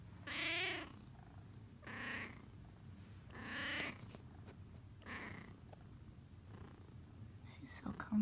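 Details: Indoor cat lies snugly wrapped in a heated blanket and gives four soft, drawn-out meows, each falling slightly at the end, spaced about one and a half seconds apart. Quiet room with a faint low hum.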